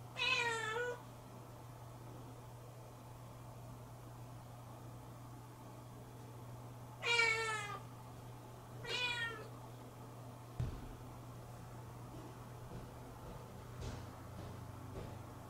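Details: Affectionate pet Siamese kitten waiting by the door of a room for its absent owner; three short, bright meows, one at the start and two close together after a pause of about six seconds, over a quiet indoor hum.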